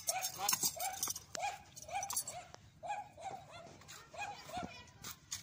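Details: Dog barking loudly while a horse dances nearby, giving a steady series of short barks about two to three per second, with faint voices and background noise underneath.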